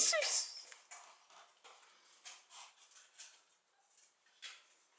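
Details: Keeshond puppies, seven weeks old, from a recent litter, indoors: a brief high whine rising then falling opens the recording, followed by soft scratchy shuffling, faint squeaks and quiet German speech.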